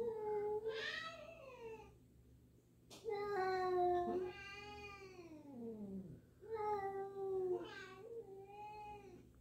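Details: Two cats, a black one and a newly introduced black-and-white one, meowing at each other indoors while the black cat stays unsure; a string of long, loud, wavering yowl-like meows with short gaps, one descending steeply.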